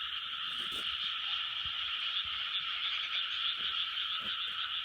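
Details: Dense frog chorus recorded in 2020, a continuous wall of overlapping croaks in two bright bands, with rapid pulsing around three calls a second and a few faint low knocks underneath.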